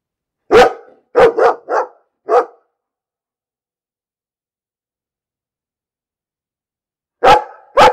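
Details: A dog barks in a quick burst of five sharp barks, falls silent for several seconds, then lets out two more loud barks at the end.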